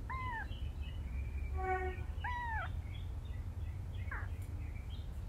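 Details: Mother cat rescuing and carrying her kittens; short, bent, rising-then-falling mews repeated about two seconds apart, with a brief buzzy harmonic note between them and a softer call near the end, low hum underneath.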